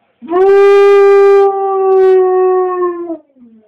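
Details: A female pet dog joins in with wolf sounds played on a computer, giving one sustained, even-pitched howl of about three seconds that dips slightly and trails off at the close.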